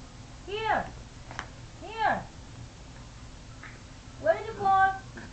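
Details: Dog "talking" indoors, giving arched, howl-like moans that rise then fall, three separate drawn-out bursts within about five seconds, the last one wavering, with a person's voice between them.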